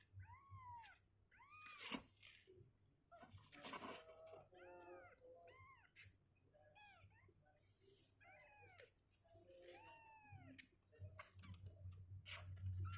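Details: Two-week-old kittens, sixteen days into their lives and restless in the box, call with clear, rising-then-falling meows that come in pairs and short clusters every second or two, with brief clicks and knocks between them.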